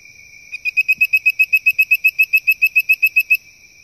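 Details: A male bird-voiced treefrog (Hyla avivoca) calls for a mate with a quick run of clear, whistled notes, about six or seven each second. He sits on a cypress knee 2 feet above water at a creek backwater, Calhoun County, Arkansas, 25 May 2014.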